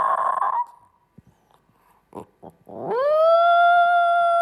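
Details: A male Italian Greyhound, a dog that rarely barks but loves howling, gives a rough yelp, a few soft whimpers, then a long, steady, rising howl.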